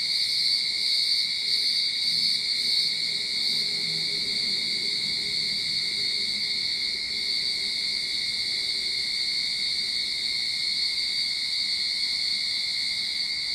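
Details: Cicadas in a Sydney backyard, start of summer, sustain a loud shrill droning chorus with brief quick pulsing early on, over a faint low hum in the background.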